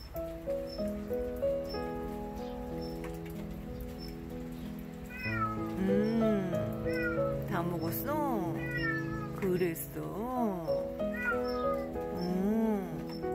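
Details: Starving stray Korean shorthair cat, found under a deck after calling repeatedly for help, thin with patchy fur; several rising-and-falling meows, some short, some drawn out, over steady background music.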